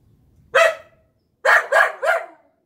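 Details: Pet Golden Retriever Collie mix losing it over a zucchini just picked from the garden, giving one sharp bark followed by a rapid run of three harsh barks, nothing else audible.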